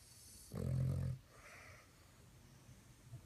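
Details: Sleeping dog giving one low, rough snore of about half a second, a deep droning rasp, then a softer breathy exhale and near silence.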